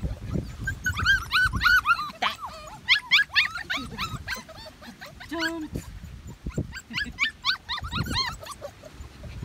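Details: Puppies of a medium poodle litter, June 28, 2018, cry in clustered high whining squeaks that rise and fall, several pups overlapping, with low bumping sounds and a brief voice beneath.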